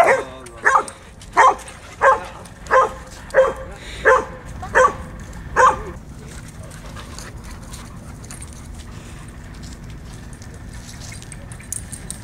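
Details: Playful Huskies and Malamutes out for morning exercise: eight evenly spaced yipping barks in the first six seconds, then quiet ground noise with only faint distant sounds.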